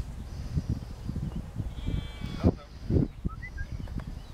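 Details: Sheep bleating while being herded in a field by Lars, a four-year-old working Border collie, alongside a lamb; two short harmonic bleats rise near the middle over steady low rumbling field noise.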